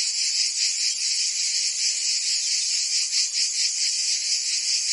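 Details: Summer cicadas in Provence, southern France, produce an intense high rasping hum with quick throbbing pulses and slight swells in loudness, nothing else audible.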